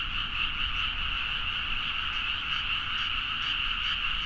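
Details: Dense frog chorus recorded at midnight in rice paddies in Nagaoka, Niigata, Japan, on a Zoom H4n: a continuous wall of overlapping croaks in two bright bands, with faint rapid pulsing trills above and low rural hum beneath.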